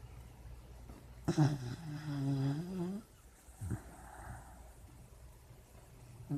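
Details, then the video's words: Sleeping puppy dreaming: a wavering, drawn-out whimpering moan lasts nearly two seconds, sliding up and down in a low voice, then a few short, soft huffs and breaths follow in a quiet room. "Puppy dreams and snoring"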